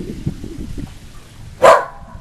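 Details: Female whippet, usually a quiet dog, barking in a frenzy at the Goodyear blimp flying overhead on a nice day outdoors; a single sharp, loud bark bursts out near the end after a low, rumbling background.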